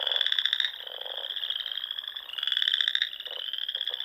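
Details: Frogs singing together in spring among the small lakes and ponds of the Nebraska Sandhills at dusk. A continuous high buzzing trill carries two louder, rapidly pulsed bursts, with a few low, soft croaks between them.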